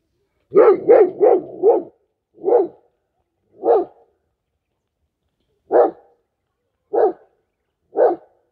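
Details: German Shepherd named Mac guarding its owner from strangers: a rapid burst of four deep barks, then single loud barks spaced one to two seconds apart, in an otherwise quiet setting.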